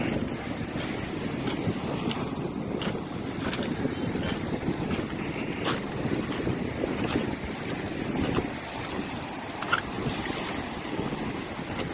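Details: Wind buffets the microphone over rushing surf and a few faint clicks, without any animal call.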